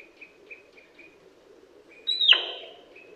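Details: Male sika deer in Primorsky Krai, Russia, autumn 2021, giving a single loud, high whistle that drops in pitch and ends in a rough breathy fade, preceded by faint, short, repeated tones in the background.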